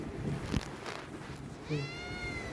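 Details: Himalayan cat meowing indoors to ask for food: a single drawn-out meow near the end, gently falling in pitch, after a few soft thumps and quiet room noise.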